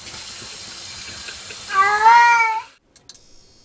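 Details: Domestic cat giving one drawn-out, wavering meow of about a second, rich in harmonics and slightly warbling in pitch, preceded by a steady hiss like running water, with a few faint clicks after it fades.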